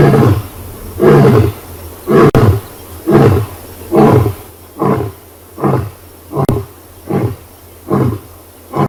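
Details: Huge male lion roaring after scent marking on a live South African safari; the roar ends in a series of about nine short, deep grunting calls, repeated roughly every 0.8 seconds and gradually fading.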